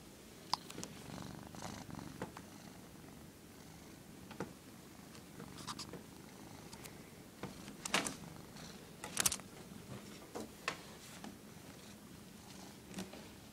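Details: A pet cat that dislikes being filmed purrs in a steady low rumble throughout, punctuated by sharp clicks and rustling handling noises at intervals in a small indoor space.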